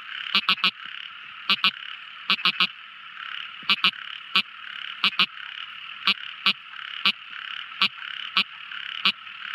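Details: Small frog heard at night, sharp ticking calls in clusters of two or three, repeated every second or so against a constant shrill chorus of night callers.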